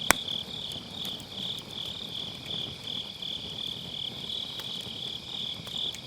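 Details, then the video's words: On an autumn night by a round fire-pit campfire, grass insects keep up a shrill, evenly pulsing high trill, recorded with an MKE600 microphone and low-cut; a loud firewood pop opens, followed by lighter crackles. "가을밤 풀벌레 소리"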